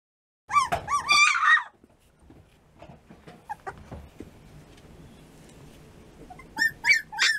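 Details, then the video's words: Three-week-old American Bulldog puppies whimpering and yipping: a burst of high, wavering whines at the start, then quieter scuffling and faint squeaks, and more sharp rising yelps near the end. "Puppies American Bulldog"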